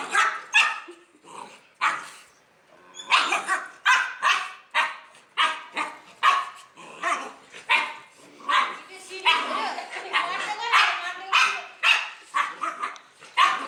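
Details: Domestic dog reacting to a barking sound effect, giving a long, fairly steady run of short harsh barks about every half second, some doubled, in an indoor setting with few pauses.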